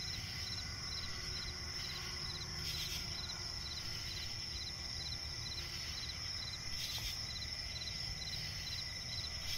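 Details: Crickets chirping at night in a swamp forest: a steady shrill high trill with rows of short pulsed chirps repeating about twice a second beneath it, over a low constant rumble and a few brief soft rustles.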